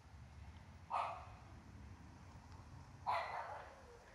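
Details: Swiss Shepherd puppy, also called Berger Blanc Suisse, playing with a cat at home; two sharp single barks about two seconds apart over a quiet hiss.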